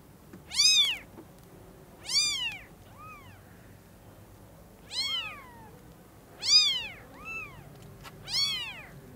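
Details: Tiny newborn kitten at Lucky Paws crying as it first sees its mother; five loud high arched mews, each sometimes followed by a weaker echoing squeak, about two seconds apart.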